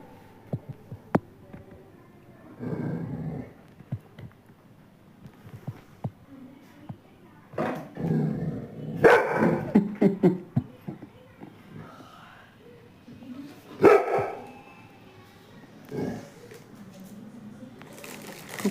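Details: Female Labrador indoors barking and grumbling to beg for biscuits after hearing cookies being taken out: soft growly whines building to several bursts of barks, with a person's voice and household noise.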